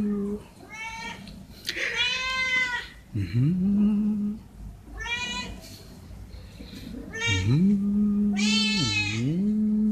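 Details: Hungry stray cats offered veg rissoles call for food. Bright, high, arching meows alternate with lower, drawn-out meows that dip, then rise and hold steady. The two voices overlap in turns, with faint voices underneath.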